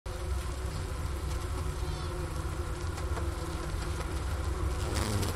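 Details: Honey bee colony inside its hive in winter at the Ohio State University Wooster campus, January 16, 2024, around 4 PM, 15 °F outside. A Sony ICD-PX370 sits near the inner-cover hole by a leftover sugar brick. A steady low droning hum continues throughout.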